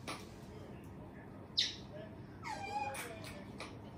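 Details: A pet otter named Bingo gives a sharp chirp, then a longer, high, wavering squeak about a second later, over steady indoor background noise; it calls while swimming about between eating and sleeping.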